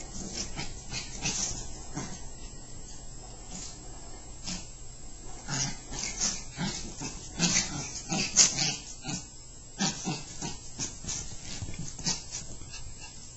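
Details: Two pet Chihuahuas, Happy and Sammi, wrestle playfully: rough snorting growls and huffs come in short noisy bursts, louder around the middle, with scuffling between them.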